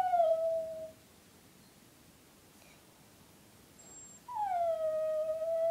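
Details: A Brussels Griffon named Eva howls softly. The end of one smooth, level howl fades out, and after a quiet pause of about three seconds she starts a fresh howl that dips slightly and then holds steady.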